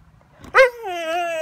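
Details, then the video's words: Catahoula dog begging for breakfast, after its owner speaks about steak: a sharp yelp-like onset that slides into a sustained, slightly wavering whine. "Dog Talks Back To Owner"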